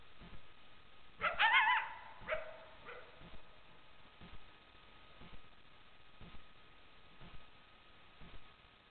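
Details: Coyote (Canis latrans), recorded on a trail camera, gives a brief, wavering high yip followed by a couple of shorter yelps.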